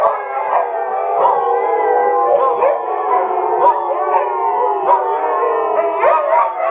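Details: Many Siberian Huskies at a kennel break into a chorus howl, long wavering voices overlapping as they rise and fall.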